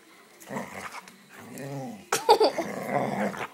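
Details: Feisty female dog that dislikes feet on her belly, biting at a hand; low growls and grumbles, then a sharper yelping burst near the end, with an owner's voice and laughter around it indoors.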